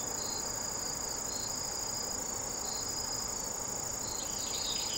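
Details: A Sasakiri katydid calling with a continuous, even, shrill high buzz at a constant pitch, accompanied by softer intermittent lower chirps that grow busier near the end, against steady hiss.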